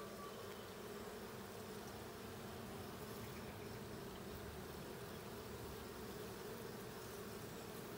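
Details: Steady, unbroken droning of honey bees in the blue hive, checked on 20 June 2022; a thick buzzing wash with a rumbling low end and no other clear sounds.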